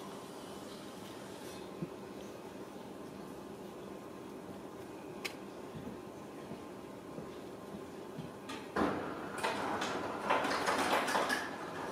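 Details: Quiet indoor room with a low hum, scattered soft knocks, and a louder stretch of rattling and bumping near the end, like a cupboard or sliding door being handled.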